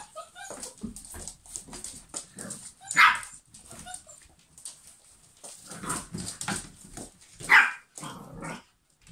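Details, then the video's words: Several German Pinschers: soft whines and shuffling, punctuated by two loud, sharp barks spaced about four seconds apart, with quieter huffs and murmurs between. "German Pinschers Mad Dog House"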